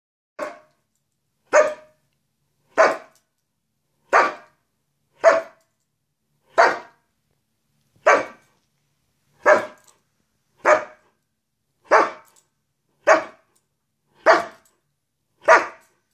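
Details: Greyhound indoors, playfully goofing around: thirteen short, sharp barks spaced roughly every one to one and a half seconds in a steady series, with near silence between them.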